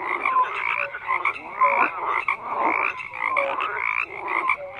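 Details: Frogs calling en masse, dense rattling croaks with occasional short upward-sliding notes, loud and unbroken from start to finish.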